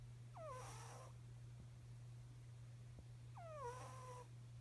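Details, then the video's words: A cat snores, giving two high, falling, whistle-like squeaks about three seconds apart against a constant low electrical hum. "Snoring cat"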